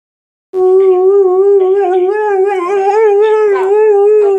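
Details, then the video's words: Dog howling while chatting to answerphone messages, indoors: a steady, sustained mid-pitched howl held for about four seconds with rich overtones, wavering slightly toward the end, with no other clear sounds. "Dog talking to the answer phone"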